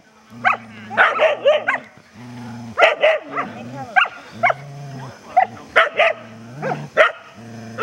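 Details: During a rope tug-of-war game at Vale do Sol, Border Collies Thor and Logan growl in low sustained stretches punctuated by clustered high yips and barks, about every second or two.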